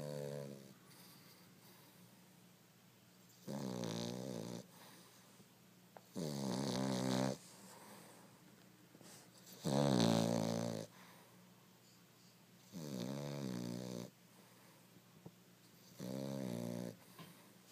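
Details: A dog snores steadily. Six rasping, nasal snore bursts, each about a second long, come every three seconds or so, with soft breathing and a low background hum between them.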